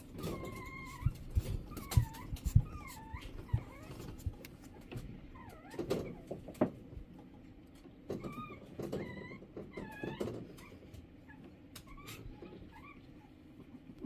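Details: Shih Tzu giving high, thin whines, some rising and some falling or wavering, in short bursts with pauses, over a low background rumble and occasional knocks.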